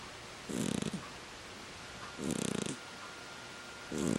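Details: A sleeping pet ferret curled on a heated throw gives three raspy, purring snores, each a short rattling burst about half a second long, with quiet pauses between them indoors.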